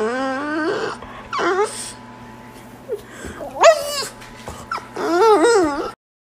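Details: French Bulldog puppy in a small room making high, wavering whimpers and whines: a long sliding cry, short yelps, then a rising and falling whine, with a steady low hum behind.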